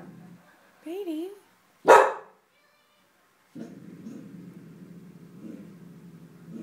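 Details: Petey, a dog, growls at something invisible: a person's questioning voice, one sharp loud bark, then a long continuous low rumbling growl with slight surges in intensity.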